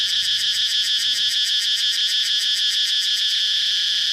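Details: Shrill cicada buzz pulsing in quick regular beats, about three per second, strong and steady, fading into a smoother continuous drone at the end.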